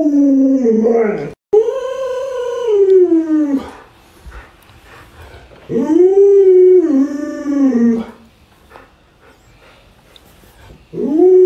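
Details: Alaskan Malamute Luoluo vocalizes to rouse a sleepy owner who won't get up: drawn-out, arching howls with rich overtones, each rising then sliding down, three rounds separated by short quiet gaps.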